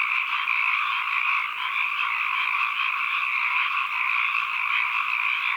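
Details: Ambient frog calls: a dense, steady chorus of many overlapping croaks creates a continuous buzzing wash at mid-high pitch, level throughout, with no other sounds.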